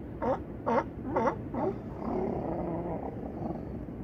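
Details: California sea lions at Crescent City harbor, Battery Point lighthouse in the distance; four loud harsh barks in quick succession, about half a second apart, then a lower drawn-out groaning call over steady background noise.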